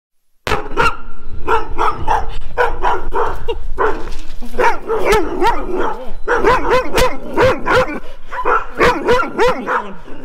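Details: Four large Rough Collies chasing after a person and barking: dense, overlapping barks from several dogs at once, rapid and irregular, almost continuous for about ten seconds after a short silent start.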